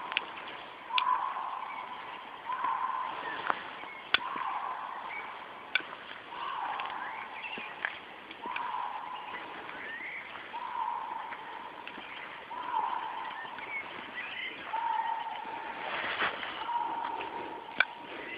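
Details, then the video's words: A Eurasian lynx in rut in Białowieża Forest, Poland, gives drawn-out moaning calls repeated about every two seconds. "Puszcza Białowieska - Ryś marcuje"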